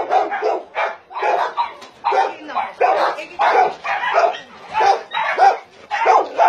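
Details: Dogs kept on a combined meat farm and puppy mill in Nonsan city, South Korea, in January 2017, bark in loud, short bursts, each close to a second apart, with several voices overlapping.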